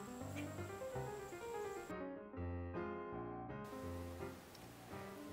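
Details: Only piano or keyboard music plays throughout, with steady chords and no animal voices.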